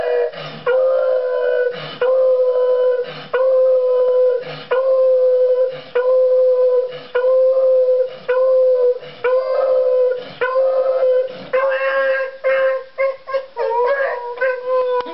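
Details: A beagle howls in steady, sustained notes, repeated with short breaths between, from separation anxiety after running to the window when his owners leave to check the mail.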